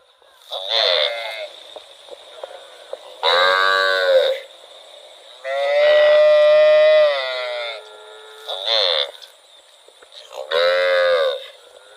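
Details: A cow wandering in rural rice fields gives a series of fairly high, nasal moos, each about a second long.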